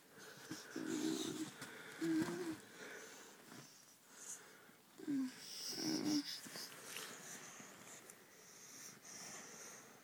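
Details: Tango, a pet Bull Mastiff, asleep indoors in a small room on December 6th 2009: four short wheezy, nasal snore tones with a slight pitch glide, at roughly one, two, five and six seconds, over faint hiss.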